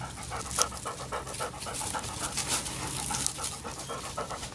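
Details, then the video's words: Labrador Retriever puppies at seven weeks pant rapidly, with a rhythmic huffing of short breathy pulses repeating several times a second under a hissy background. "Labrador Retriever Puppies O6 week 7"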